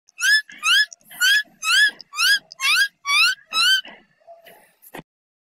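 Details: Rabbit. A rabbit gives eight piercing, harmonic-rich screams in quick succession, each one wavering up and down in pitch. A few faint clicks and rustles follow as the shrieks stop.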